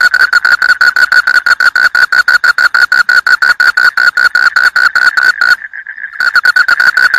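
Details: A frog calling in a fast, steady series of short pulsed notes, about six per second, with one brief pause near the end before the run resumes.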